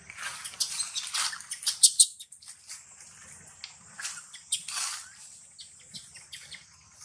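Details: Hungry monkey Timo cries in sharp, high squeaky bursts, loudest early on, then softer broken whimpers trailing off, with faint low background rumble.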